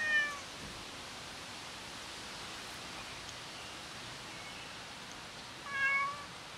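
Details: A cat sitting and waiting for its owner gives a brief meow at the opening, then a fuller, wavering meow near the close after several seconds of quiet hiss.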